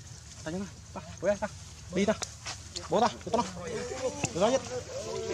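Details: Hungry baby monkey Leo crying for its mother's milk: a run of short, arched, harmonic whimpers repeated roughly every half second, growing busier and overlapping toward the end.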